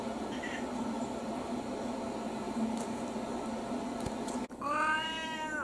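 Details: Elderly brown-tabby mixed-breed domestic cat kept indoors as a household pet, recorded in early autumn: after a long stretch of steady low room hum, one short harmonic meow rises and falls near the end. A woman speaks softly afterward.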